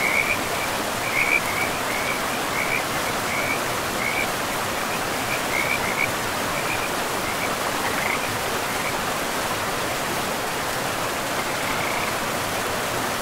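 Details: Riverside frogs in a forest make short high trilling bursts, denser early on and thinning later, beneath the loud continuous roar of flowing water.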